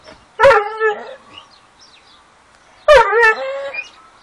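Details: Dogo Argentino "talking": two drawn-out, harmonic whine-howls, each starting with a sharp onset then bending down and wavering, separated by about two seconds of near silence with faint faraway sounds.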